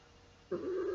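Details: Pet cat Baby Girl, seven years old and female, held indoors during a sung nursery rhyme, utters a low, slightly wavering sustained meow that starts abruptly halfway through.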